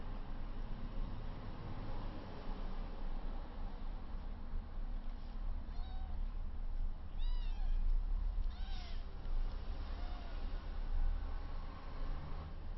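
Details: Three rescued 22-day-old kittens, one 400 g and two 350 g, tussle in their first play-fight; a run of thin, arching mews comes in quick succession midway, some doubled, above a constant low droning background.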